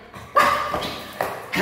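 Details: A timid household dog in training for false barking gives a single loud tonal bark, followed a moment later by a shorter second bark, with faint voices in the room.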